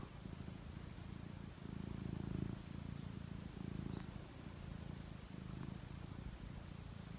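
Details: Pet cat getting ready to sleep, purring with a low, steady rumble in pulsing phrases of roughly one to two seconds, faint background hiss.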